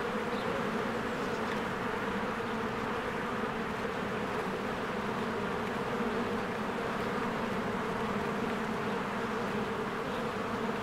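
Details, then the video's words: Honeybees in spring, many flying in and out of their hive while flowers bloom: a dense, steady, low droning hum with a constant even texture throughout, no breaks or pauses. "1 Hour of a Beehive ASMR | A Spring Nature Ambience Sounds"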